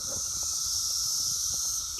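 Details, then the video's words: Dense chorus of many Brood X cicadas on an apple tree in June: an intense, continuous high-pitched whirring wall of sound that stays even, with a soft lower droning band underneath. "Brood X cicadas singing on my apple tree"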